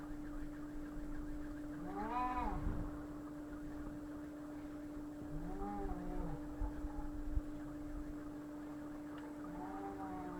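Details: Fighting cats caterwauling: drawn-out, wavering harmonic yowls that rise and fall, in three bouts spaced a few seconds apart, over a steady hum and low background rumble.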